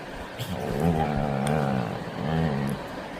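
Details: Labrador Retriever named Pattu making its playful 'baby talk': low, wavering, moaning whines in two drawn-out phrases, the first about a second long, the second shorter, with a steady hum in the background.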